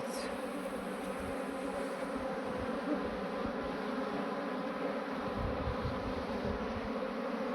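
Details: Many honey bees from a departed swarm being settled into a modern hive: a constant, busy buzzing roar with a low steady hum and faint handling thumps.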